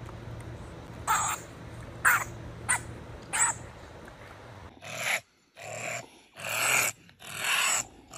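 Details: Honey badger (Mellivora capensis) growling: short rasping barks, then longer harsh hissing growls, each lasting about a second.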